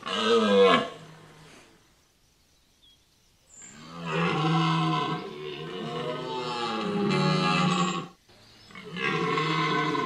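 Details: A red deer stag bellows during the rut at Chambord, Loir-et-Cher, France, in long, deep, rasping roars that swell and fade.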